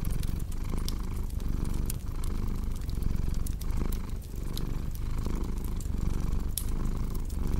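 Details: A pet cat's purr rolls on as a low, even rumble with a rhythmic in-and-out breathing pulse, layered with frequent crisp crackling of a fire for deep-sleep relaxation.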